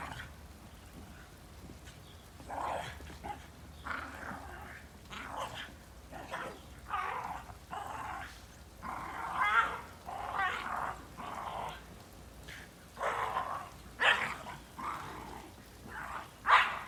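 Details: Shiba Inu playing hard in the snow, giving rough, breathy growling bursts at irregular intervals, roughly two dozen a minute, some louder than others, with a steady low background hum.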